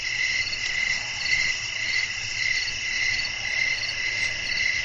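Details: Night crickets calling in a calm natural setting: rhythmic, high-pitched chirps pulsing roughly twice per second, layered over an unbroken shrill trill and a soft low background hum.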